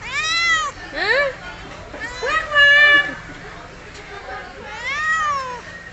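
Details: Tabby cat meowing repeatedly at close range, a run of clear rising-and-falling meows, some long and arched, others short and sharply rising, with a person talking to it nearby.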